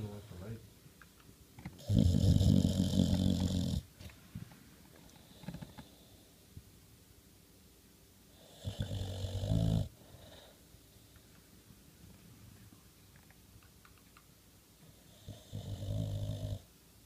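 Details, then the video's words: Boxer dog snoring and making talking-like noises in his sleep indoors: long rough rumbling snores in three bursts, each about one to two seconds, separated by quiet breathing gaps. "Snoring Boxer Dog"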